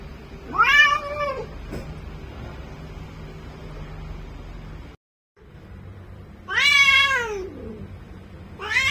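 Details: Bengal cat in full heat, yowling repeatedly: a drawn, descending harmonic meow, a long quiet gap, then a second sliding cry, with a third call beginning at the end over a low background hum.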